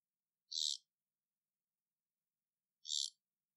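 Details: Pet Amazonian poison frogs (Ranitomeya amazonica, 'Iquitos' form) calling with brief, high-pitched buzzes under half a second long, repeating roughly every two and a half seconds against a silent background.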